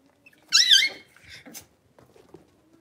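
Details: Young Blenheim Cavalier King Charles Spaniel puppies from a litter of five kept in a home puppy pen give one loud, wavering high squeal with a warbling pitch, followed by soft shuffling and faint small noises in a quiet room.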